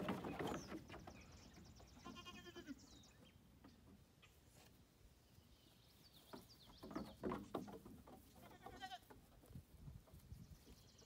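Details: Young female goats enjoying a new playground, giving short quavering bleats early and again near the end, amid hoof clomps, scuffling and chirping birds outdoors.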